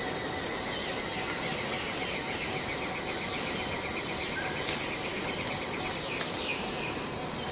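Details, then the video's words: Steady piercing whine of a cicada in Borneo's rainforest, unchanging and very high, layered with soft rapid pulsing trills and occasional brief chirps from other insects or birds. "Borneo Rain Forest Cicada - Cicada sound - cicada noise"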